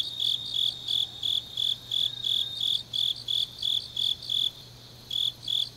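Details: Deep autumn night in Changnyeong, South Gyeongsang, with grass insects pulsing a bright, high chirp about three times a second, briefly dropping out near the end before one more pulse, a soft shimmering chorus underneath.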